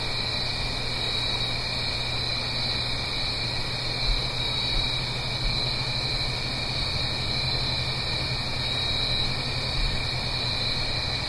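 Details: Blue Ridge Mountains crickets on an autumn night, up the hill from a stream, keep up an even, ringing high trill throughout, layered over a steady low murmur resembling flowing water.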